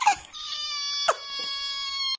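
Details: Fluffy ginger cat giving a dramatic drawn-out scream: a sharp onset, then a long steady wail with strong stacked harmonics, broken by a brief catch midway before the cry resumes and stops abruptly.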